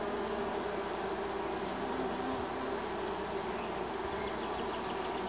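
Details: Honey bees of a neighbour's colony in spring, swarming and landing at the hive: steady dense buzzing hum with several overlapping tones and faint passing fly-bys.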